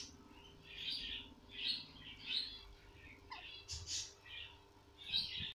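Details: Newborn guinea pig squeaking: short, shrill chirping bursts at irregular intervals of roughly half a second to a second, with a steady low background hum throughout.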